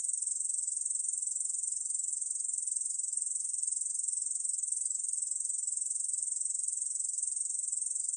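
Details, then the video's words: Steady stridulation of a Korean field katydid, 2020 recording: a high-pitched, dry, buzzing chirr of rapid even pulses running continuously without a break, nothing else audible. "중베짱이, 1번 듣기, 곤충소리"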